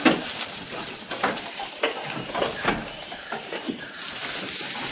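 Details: Goat eating up close, giving rapid crackly crunches roughly three per second, dry rustling, and one faint high whistle partway through.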